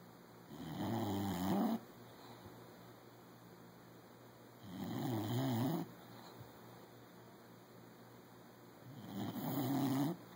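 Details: Bulldog snoring indoors: three rough, rasping low snores, each lasting about a second and coming roughly every four seconds, with quiet pauses and a steady faint background hum between breaths.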